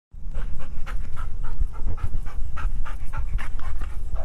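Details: Two domestic Rottweilers, a father and his son, make rapid, rough grumbling growls in quick rhythmic bursts over a deep rumble, either fighting or "talking."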